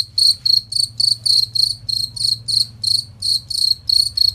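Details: Master recording of a cricket for training contest songbirds; ringing, high chirps in a steady series, roughly three per second, each a quick buzzy trill, with a low background hum.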